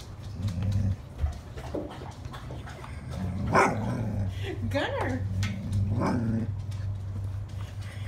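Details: Golden Retriever puppy trying to bring a stick into the house, though sticks are not allowed indoors: short whining and rising-falling vocal sweeps with low grumbles, a person speaking over a steady low hum.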